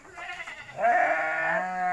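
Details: Goat bleating at night inside its pen: a long, strained, harmonic bleat held steady for about a second. It follows softer, wavering sounds earlier, and clapping is heard just before.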